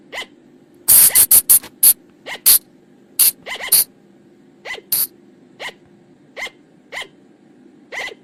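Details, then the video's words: Flying lemur lure sound from the forest at night: a rapid run of loud, shrill squeaks at the start, then softer, spaced squeaks about every half second, over a steady low hum. "เสียงต่อบ่างป่า หรือพุงจง,พะจง flying lemur sound"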